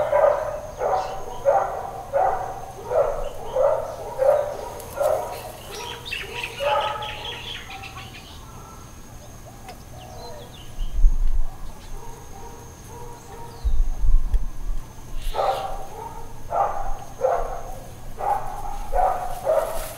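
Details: Dog barking at Hawaiian Paradise Park, Hawaii, on Labor Day, September 2, 2024, in a long bout of uncontrolled barking. Distant mid-pitched barks come in quick runs, then a quiet gap, then another run, with a steady background hum.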